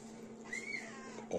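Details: Rescued baby squirrel, one of two found a few days old, hairless with eyes and ears closed, on the ground under a pine in Tahitótfalu, Hungary, 29 May 2023, kept in a rescue-centre incubator; one thin high squeak arching up then down over a steady low hum.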